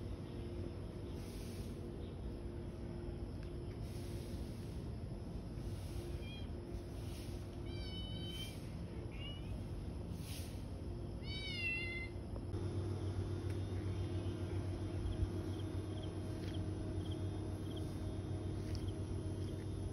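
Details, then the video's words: Stray cats and kittens out and about in the morning: a few short, high, wavering meows cluster in the middle, against a steady low hum and distant background noise. "流浪貓 早上出來活動 Stray Cats and Kittens in the Morning"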